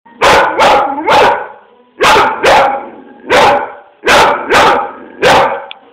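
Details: A one-year-old blue nose pit bull barks to get attention and at a boxer, in loud, sharp bursts, usually three in quick succession with short pauses between.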